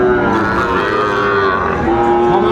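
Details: Bulls at a cattle market where Chattogram farmers buy animals for farming, 17 August 2024: drawn-out, low, harmonic moos overlap amid steady crowd chatter and haggling voices.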